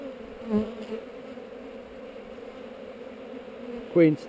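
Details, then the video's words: Open honey bee hive among heather, recorded on a GoPro while being inspected: a continuous even buzz of the colony, with two brief louder buzzing passes near the start and end. "Bees on heather"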